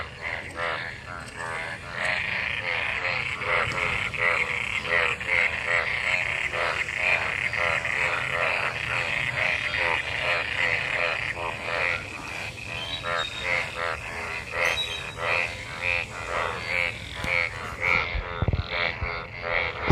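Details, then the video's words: After monsoon rain, numerous frogs gathered in rainwater call during mating; a steady wall of pulsing croaks, quieter at the start, with a short low thump near the end. "Frog Sounds after monsoon rain,Sounds of toad Croak croak ! frog mating and love in rain"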